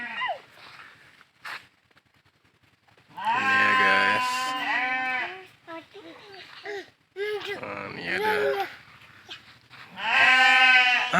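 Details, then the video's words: Goats in a village in Londut give loud, wavering, nasal bleats between people's talk. They are hungry because they have not yet been taken out to graze, which is set for half past three. "Itu suara kambing, guys."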